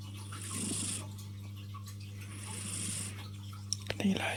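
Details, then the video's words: Lilo, a tuxedo kitty, snoring contentedly while lying on a person's arm; two soft, airy, hissing breaths, each about a second long and roughly two and a half seconds apart, over a steady low indoor hum with faint murmured speech. "The snoring cat"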